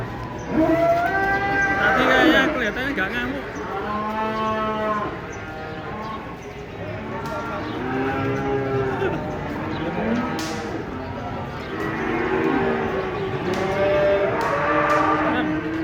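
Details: Several cattle near a truck during unloading of a giant cow moo repeatedly, with overlapping, arching lows roughly every second, a few higher strained calls, and occasional clatter.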